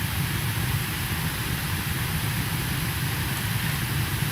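A steady low engine rumble, like a vehicle idling, fills the whole stretch with no animal voice heard.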